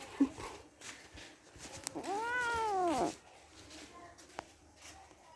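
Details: Kittens at play; one clear arched meow about a second long rises and falls, over a noisy background with faint speech and rustling.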